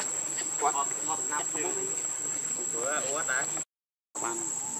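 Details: Hungry baby monkey named Leo crying to beg its mother for milk: short wavering, harmonic whining cries near one second and again around three seconds, over a steady high insect buzz, with a brief silent gap near the end.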